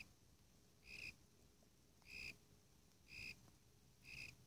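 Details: A Warilla imposter cricket, Eurygryllodes warrilla, calling: short, bright, high chirps repeated about once a second, each with a faint higher overtone, over steady background hiss and a low hum.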